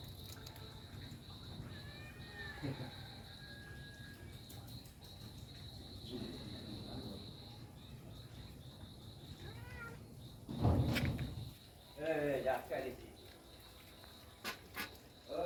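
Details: Kitten mewing indoors while the father cat grows excited on hearing it; a few thin, rising-then-falling mews come early and again near the end, with people talking in Bengali, a steady high whine and some clattering.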